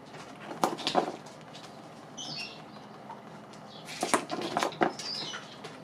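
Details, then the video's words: Pet guinea pigs eating dried apples, close-miked: two clusters of sharp, crackly crunching bursts, one near the start and another around the fourth to fifth second, with faint high squeaky chirps in the quieter gap between them. "ASMR pommes séchées mangés par mes COCHONS D'INDE"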